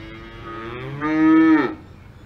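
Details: Alpine farm cow giving one moo: a low lead-in that swells into a loud, even, strongly harmonic bellow for about half a second before breaking off with a slight downward bend.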